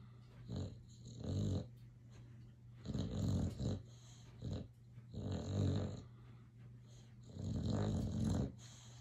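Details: Boxer dog asleep and dreaming, snoring in low rasping bursts, four breaths over nine seconds, each roughly a second long, with a steady low hum beneath.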